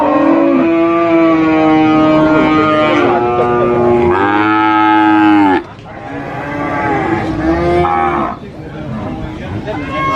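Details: Large cows at a market, including sacrificial (qurban) cattle, give long, loud moos with rich harmonic tones, one call running into the next.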